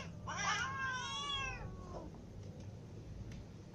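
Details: Hungry cats, a ginger cat among little and adult cats, meowing for food: one drawn-out harmonic meow lasting over a second, followed by a short fainter call, with low background rumble.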